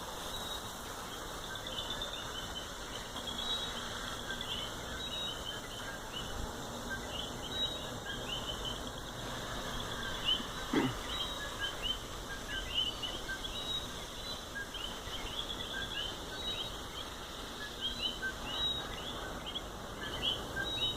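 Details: Chorus of coquis in Puerto Rico's natural habitat, countless brief upswept chirps packed tightly together and repeating without pause, over a constant high insect hum and faint low rumble.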